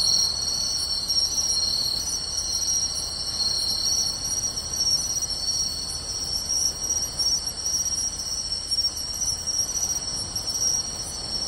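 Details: A chorus of crickets and other insects, including pine crickets and bell crickets, trills steadily at a high pitch with bright chirps above the ringing, in beachside grassland on a summer night, 24 August 2020, in Tainai, Japan.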